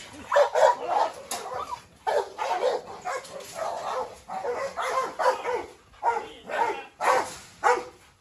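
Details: Brindle Canary mastiff female, Rottweiler and Staffordshire, three dogs squabbling as the Canary seeks revenge on the Rottweiler; rough, harsh barks come in clustered bursts about twice a second, with brief pauses between volleys.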